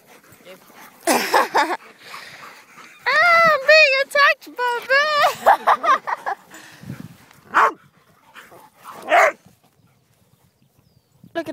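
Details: Pet dogs out on a walk, a group including Dixie, Honey, Oliver, Jumbo, Annie and Bear, giving a run of high, wavering whine-like yips in quick bursts, with a person talking before and after.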